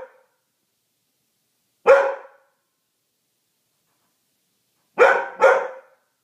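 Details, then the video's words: Poodle afraid of newly put-up Christmas decorations, barking indoors: one short harsh bark near two seconds, then a quick double bark around five seconds, separated by silence. "My poodle is afraid of everything"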